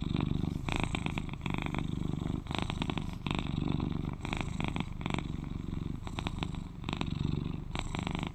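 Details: Deep, rhythmic rumbling purr of an affectionate 11-year-old male British Shorthair pet cat, heard very near, alternating softer and rougher phases as he breathes in and out, about once a second.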